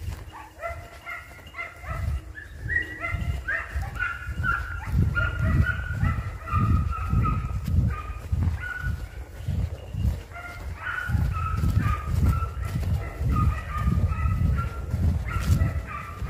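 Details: Hunting dogs on a hare hunt, with the hare flushed and sighted twice, give an almost continuous chorus of tonal, drawn-out bays and yelps, overlapping and varying in pitch, over steady thudding footsteps and rustling.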